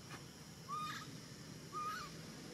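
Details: Baby monkey in Cambodia calling to find its mother: two clear, tonal whistled coos, each level then lifting slightly at the end, about one second apart, over a faint steady background hum.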